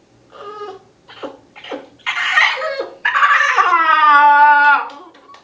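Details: Kiba, a 3-month-old Shiba Inu puppy recovering from a Tylenol overdose, gives a few short yips, then a long, strained, harmonic yowl.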